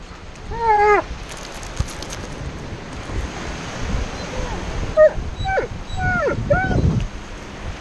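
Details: Alaskan Malamute named Tonka, impatient at having to sit still on the beach, gives a few bent, whining yowls, one early and several clustered near the end, with waves and wind rumbling beneath.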